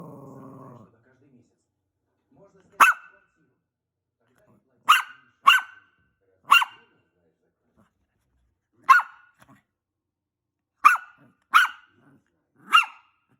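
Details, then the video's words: Maltese dog barking: sharp single barks spaced irregularly, about eight over the clip, after a brief stretch of low voice-like sound at the start. "Barking dog!!! Maltese."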